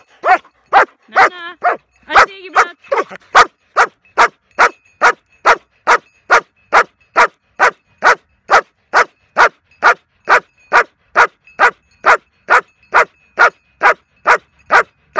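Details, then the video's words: Young female German Shepherd during hold and bark protection training, barking steadily and rhythmically at about two barks per second for the whole stretch, after a few brief whines and a handler's commands at the start. "Giblaut (Bark)"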